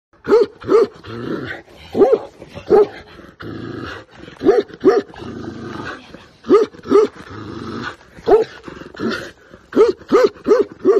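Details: Large Tibetan Mastiff, described as a dangerous breed; deep, hoarse barks come in short bursts of two or three, separated by brief pauses and softer rough breathing.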